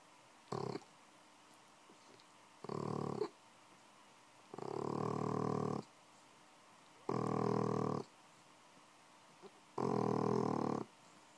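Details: Bulldog puppy aged six months, fast asleep. Five raspy, rattling snores come roughly every two to two and a half seconds. Some are short and others drawn out, with quiet pauses between them.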